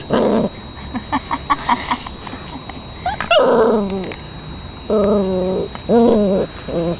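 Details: A puppy gives a run of short soft yips, then a longer falling whine, followed by three drawn-out nasal whimpers with rich harmonics, each lasting about half a second, over a faint steady hum.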